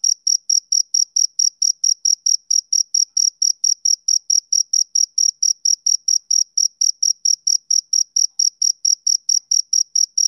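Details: Steady chirps of a male cricket on a summer evening, high, clean pulses ticking along about four per second in a uniform rhythm over a quiet background.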